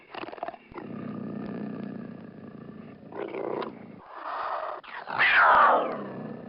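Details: Cougar giving raspy, rumbling growls that rise and fall over several seconds, broken by short breathy pauses, then a louder, harsher snarling outburst that climbs higher in pitch near the end.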